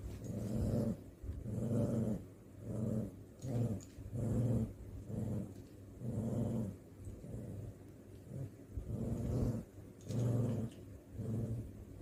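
A dog grumbles and growls in low, rumbling bursts during rough play.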